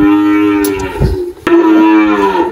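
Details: Girolando cow Malhada, 18 years old, on a farm in Anápolis, Goiás, Brazil, in March 2023, with her newborn heifer calf nearby. A brief, deep, steady moo breaks briefly and then resumes.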